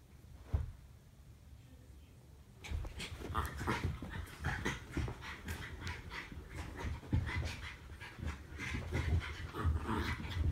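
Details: Two Norfolk Terriers, Ernie and Hank, wrestling in daily play. After a quiet opening with one thump, rapid rough huffs, panting bursts and low rumbling noises run steadily to the end.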